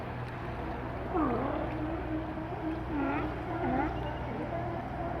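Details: Sea lions out of water on Vancouver Island, Canada, give hoarse, drawn-out moaning calls that waver and slide downward, one after another, over a constant low rumble like an engine or surf.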